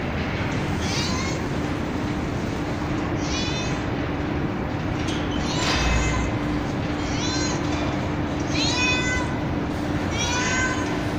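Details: Real street cat with kittens on a terrace floor, kittens meowing: around six high meows, some shrill and wavering, coming every second or two, with one noisy broadband burst midway and steady hiss and hum behind.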